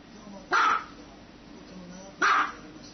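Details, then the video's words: Two short, punchy barks from a dog in a funny-dogs compilation, separated by about one and a half seconds of quiet room noise. "Dog barking sound"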